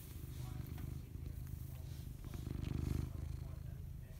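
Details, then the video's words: Close-up purring from a house cat: a low, throbbing rumble with a clear pulsing rhythm that swells and fades with each breath, growing louder near the end, over faint background hiss. "Purr Cam"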